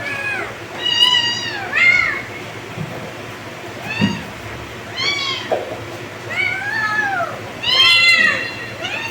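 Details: A run of high kitten meows, short arched cries repeating roughly every one to two seconds and sometimes overlapping, as if several kittens call together, with faint low rumbles and hum beneath.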